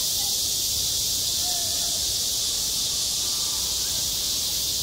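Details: Cicadas at a playground in high summer keep up a constant high, sizzling drone, while a couple of faint short whistled notes sound quietly in the lower range.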